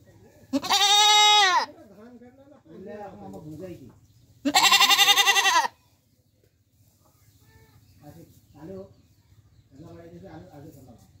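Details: Goat in Bangladesh bleating twice, each a loud, trembling, roughly one-second call about four seconds apart, with murmuring human voices in the gaps and afterwards.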